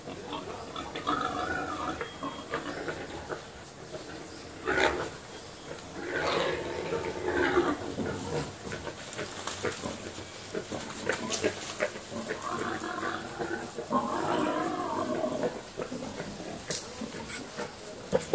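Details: Wild boar (Sus scrofa), grunts: mating.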